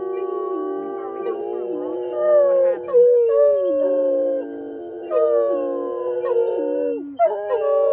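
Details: Several pet Otterhounds singing with excitement before an evening sunset walk, on arrival at a local park parking lot: overlapping long wavering howls with falling slides, voices layered in chorus throughout.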